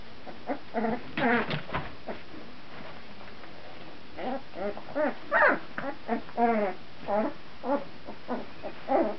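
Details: Two-week-old puppies, filmed in 2009, giving a run of short whining yelps with stacked harmonic bands, rising and falling in pitch, in bursts with brief pauses between them.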